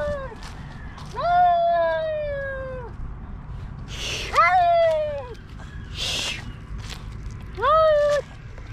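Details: Stray cats fighting in a park: long drawn-out wailing yowls, each sliding gently downward over about two seconds, coming in three bouts with hissing bursts between them, over faint outdoor background noise.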